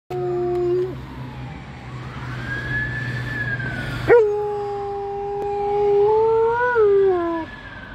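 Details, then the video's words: Female Alaskan Malamute 'singing' loudly: sustained, tonal howls with steady pitch that later waver and bend, interrupted by a sharp rise midway, over a low steady background hum. "Alaskan Malamute 'sings' her lungs out"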